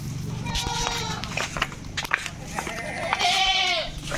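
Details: Goats handled for shipping from a farm. A short bleat comes early and a louder wavering bleat near the end, separated by knocks, clatter and talking.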